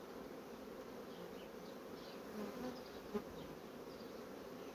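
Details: Honey bee colony building up quickly on its frames: a dense, steady hive hum of many wings, fairly low and even in loudness, with a few faint higher flecks and one short soft knock near the end.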